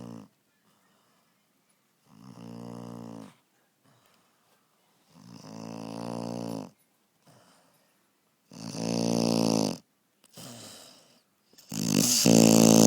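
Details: Puppy Evie snores in her sleep, producing a series of rasping, buzzy breaths roughly every three seconds, each about a second long, growing louder toward the end with brief silences between.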